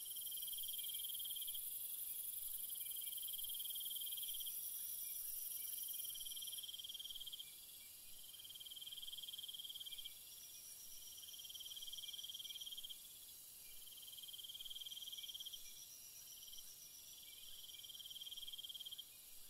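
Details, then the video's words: Night cricket chorus with shrill chirping in bursts about two seconds long, repeated with short gaps. A very high hiss fades out after the first few seconds and loudness shifts in steps. "Cricket Sounds"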